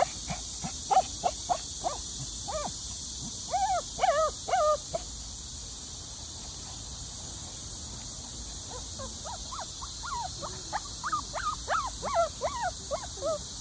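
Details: Shih Tzu puppy, happy and excited at seeing a sika deer, gives bursts of high, whining yelps mixed with short sharp barks, rapid and uneven, then a quiet spell before another run of yelps, over a steady hiss.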